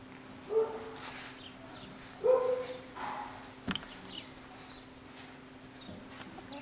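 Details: Home-bred Jackateese pups, Jack Russell crossed with Maltese, aged nine weeks, letting out three separate short yelps within the first three seconds, then mostly faint background noise and a low steady hum.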